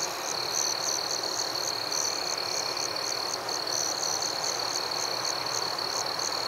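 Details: High, piercing cricket chirps repeat steadily several times a second over a constant ringing drone in a forest at night, with a continuous hiss in the background.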